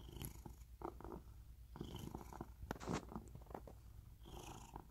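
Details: Domestic cat, a rescue kept at home in Cooktown, Queensland, Australia, gives a steady deep throbbing purr throughout, overlaid by intermittent rustling and scratchy contact noises.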